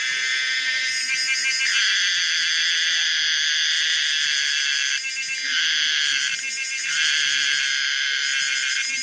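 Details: Common cicada Pomponia linearis with a weird sound: a loud, steady, buzzy high drone with layered metallic overtones, briefly dipping twice in the second half before resuming unbroken.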